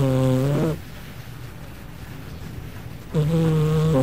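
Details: Gigi the cat asleep indoors, snoring in a humanlike way: a low, rough drone that ends, a long quiet gap of over two seconds, then another snore begins.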